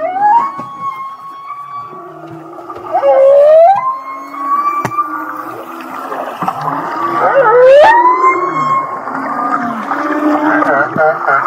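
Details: Humpback whale song recorded off Kihei, Maui, a passage said to sound like laughing: long tonal whistles held steady, broken by swooping upsweeps that rise sharply then level off, with low groans and moans beneath.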